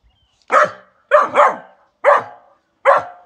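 A Labrador–Pit Bull mix puppy gives sharp, rough angry barks, singly and in a quick double.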